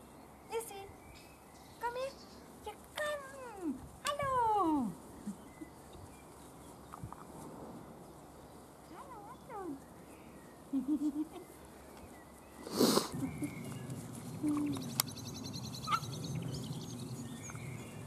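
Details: Weimaraner puppies of Gloria's litter playing and being fed while treated for juvenile cellulitis; a run of short rising and falling whimpers at first, then quieter squeaks, a loud rustling thump and background voices.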